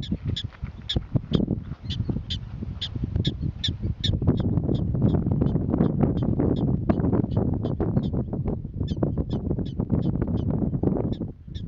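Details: Prairie dogs alerting each other to danger with long runs of clipped, high yips repeated several times a second, briefly pausing then resuming, while a constant low roar of wind or noise fills the background.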